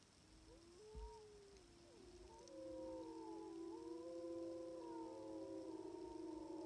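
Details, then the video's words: Sixteen timber wolves howling on a hillside about 700 yards away in Wrangell-St Elias National Park, southeastern Alaska, September 2018, recorded by phone through a spotting scope. One wolf begins with a long, steady howl, and others join in with overlapping, wavering howls of different pitches. "Sixteen Timber Wolves Howling on a Hill in Southeastern Alaska"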